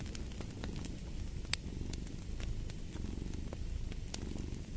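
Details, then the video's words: Purring cat with fireplace sounds, a rough low rumble running steadily while fire crackles and one louder pop break in near the middle. "Fall asleep to the Purring of a Cat & Fireplace"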